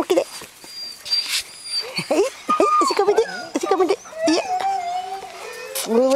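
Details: Greenland Dog puppies, seven weeks old, play in the yard at Tinka's Kennel in June, with three litters together. The young dogs give many overlapping squeaky yelps, rising whines and a long level whine amid scuffling and clatter.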